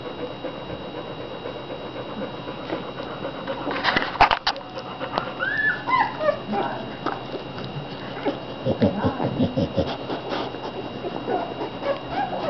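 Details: American Bulldog puppies, fifteen from two litters, one about five days younger, eating and sleeping in July 2009; scattered high squeaky whimpers and short yips rise and fall in irregular bursts over a steady background hum, with faint voices.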